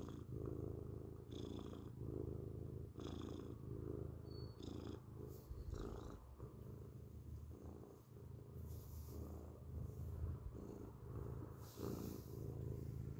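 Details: Loud close-up purring of a grey cat, a dense low rumble that runs without a break, with brief hissy breath or rubbing sounds scattered over it.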